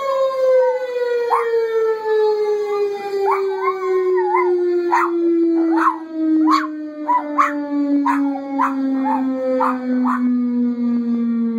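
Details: Puppy howling in response to a passing siren; a long descending siren tone runs throughout while the dog's wavering, yodelling howls rise and fall above it in repeated bursts, growing choppier toward the end.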